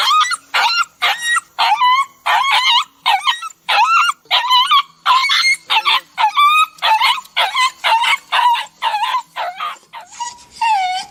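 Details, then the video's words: Crying, whining dog heard as an emotional plea, a long train of short bent whimpers in quick succession, each dipping then lifting in pitch, ending in a slightly longer drawn-out whine. "Emotional Dog crying and whinning sound"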